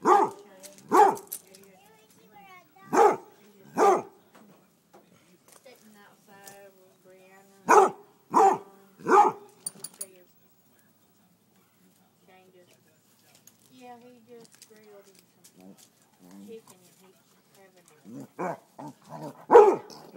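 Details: A Basset Hound gives deep, hoarse barks, often in quick pairs with pauses between bursts, barking at chicken thighs fresh off the grill, seemingly trying to cool them down.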